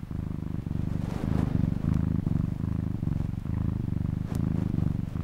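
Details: Cat purring in a rhythmic rumble, each breath marked by a short pause, deep buzzing tone throughout with one brief click.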